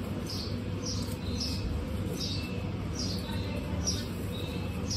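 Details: Shrill, brief squeaks come from a herd of 26 female guinea pigs on a hot day, repeating about every 0.6 seconds, with soft lower chirps between them and a continuous low drone behind.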